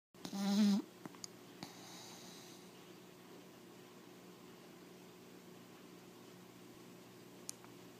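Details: A four-month-old American Pit Bull Terrier puppy snoring close up: one short, rough, low snort at the start, then near quiet with a faint steady hum.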